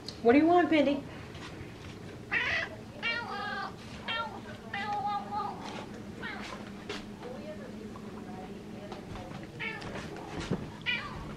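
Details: Female house cat meowing and chirping indoors for tuna fish: a loud opening meow, then a long series of shorter, quieter chirps and meows at irregular intervals, with a woman talking in between.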